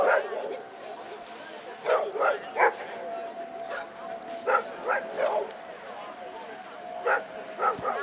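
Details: Eleven-year-old American Staffordshire Terrier Chefrem of golden Samurais during a German VPG protection demonstration gives short, forceful barks in clusters of two or three, about eight in all, while an announcer talks over a loudspeaker.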